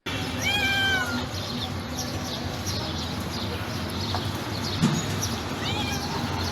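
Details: Soft, delicate meow from a calm white stray female cat found beside trash cans near a building. A single clear, slightly descending mew comes early, a fainter one near the end, over a constant hiss of background noise.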